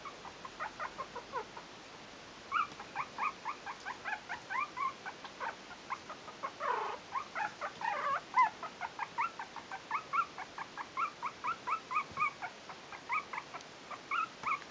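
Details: Litter A of Yorkshire terrier puppies at four weeks, Stellar Garden kennel, keeps up a long chorus of thin, repeated squeaky whimpers, many pups calling together, with a brief louder broadband rustle midway.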